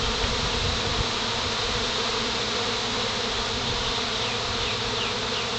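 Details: Honey bees swarming as they settle onto a pine branch; an even, unbroken wash of buzzing fills the clip, broad and steady with no pauses.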